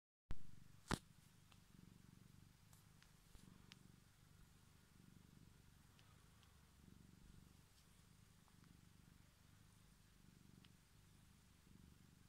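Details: Pet cat resting on a hand and seeking attention, purring softly as a low, steady, rumbling pulse that swells and fades; a sharp click sounds near the start, with faint ticks over a quiet background.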